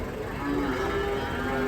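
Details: Masked cattle, described as raging while being unloaded from a truck, give a low, drawn-out moo with steady harmonic bands. The tone holds level, then shifts slightly higher partway through, with faint background rumble.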